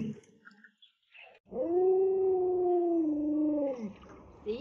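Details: Alaskan Malamute dog raised by its grandmother, at home: a sustained, steady tonal howl of about two and a half seconds that dips slightly at the end, with a woman's voice talking and laughing before and after.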